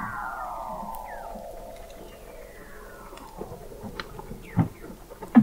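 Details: Weddell seal vocalizations beneath Antarctic sea ice at McMurdo Sound, November 2017, from an observatory 21 m below: a long slowly falling moan-like sweep with a fainter higher echo, then knocks and short clicks toward the end.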